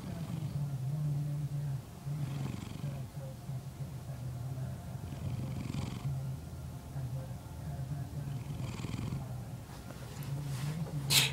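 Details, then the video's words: Domestic male cat snoring while asleep: low rumbling breaths in steady cycles, with a louder swell roughly every three seconds and a faint click near the end. "Snoring cat"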